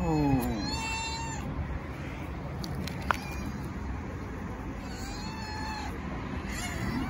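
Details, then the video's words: Starving stray female tabby cat begging loudly for food: three drawn-out meows spaced several seconds apart, each a wavering, slightly rising-then-falling tone, over constant low rumbling background noise. "Tabby Cat Meowing Loudly for Food"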